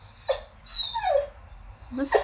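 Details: Whippet upset because his chew bone is stuck inside his rubber ball, letting out a few short, high whimpers that slide downward, ending in a sharper yelp-like cry, over a low indoor hum.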